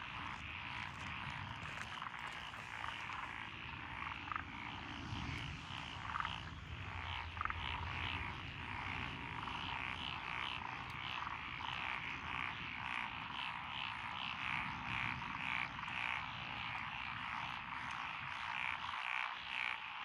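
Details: Dense frog chorus from lotus rice paddies along a rural road in Echizen, Fukui, Japan, 12 June 2021, where tree frogs, pond frogs and wrinkled frogs call together; a continuous rattling, overlapping wall of croaks with no single caller standing out.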